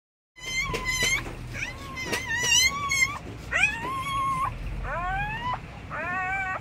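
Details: Siberian Husky (Canis familiaris) with newly born puppies gives high, thin whines that rise and bend upward in short, squeaky bursts, repeated in quick succession.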